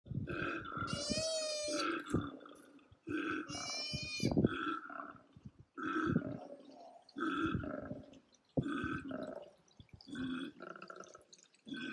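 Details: Male and female koala fighting during the brutal mating season; loud, harsh, belching, grunting bellows in repeated bursts, some with high wavering squeals above, separated by short pauses.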